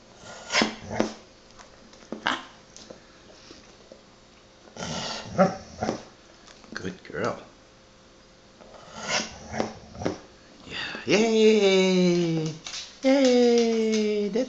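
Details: Golden retriever named Daisy, encouraged to say "ma ma": a person's praise and speech first, then two long, wavering, howl-like whines with falling and rising pitch near the end.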